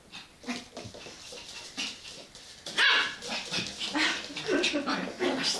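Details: West Highland White Terrier playing with a Labrador: sharp barks and yips in short bursts, growing louder toward the end, with a person speaking in the background.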